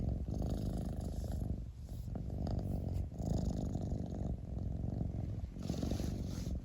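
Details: Close, continuous cat purr, a buzzing low vibration pulsing in breath cycles of about one and a half seconds, with brief dips between phases and nothing else audible.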